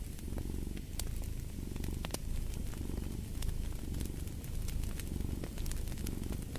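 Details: Cat purring steadily in a low, rumbling drone that swells and fades with each breath, under the sharp pops and snaps of a crackling fireplace.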